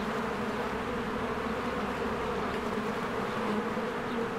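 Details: Honeybees swarming around their hive in spring as trees green and flowers open; a constant, low, humming buzz of many insects at once, slightly swelling near the end, no other clear sounds.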